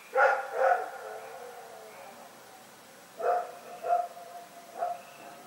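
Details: Rex, a dog at Pyrga, barking in the night on Feb 27, 2018: a quick pair of sharp barks, a pause, then two more and a final single bark, each bark with a short ringing tail.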